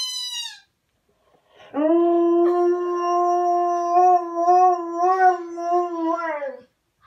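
A husky gives a long, steady howl with a slight waver, after a short high squeak from a toy.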